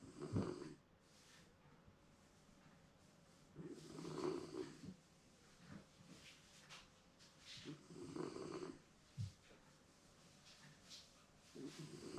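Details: Shiba Inu dozing comfortably indoors, snoring with rasping, low inhalations recurring roughly every four seconds, interspersed with soft breaths and faint movement noises.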